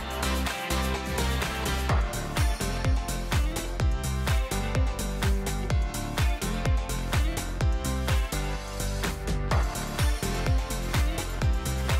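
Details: Upbeat background music with a strong, regular drum beat and layered instruments, no animal voices.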